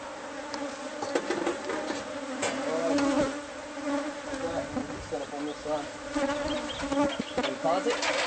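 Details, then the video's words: Bee colony nesting inside house walls, heard during hive removal: a dense, continuous buzzing drone that swells and fades, with scattered taps and scraping from the removal work. "No knowledge of bee hive!"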